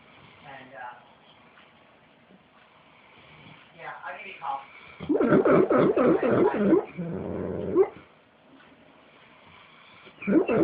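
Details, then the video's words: Misha, a female puppy, dreaming and making weird, happy-sounding noises in her sleep: soft whimpers, then a burst of rapid pulsed yelps and squeaks about four per second, with brief human speech at the start. "Misha the puppy dreaming and making noises"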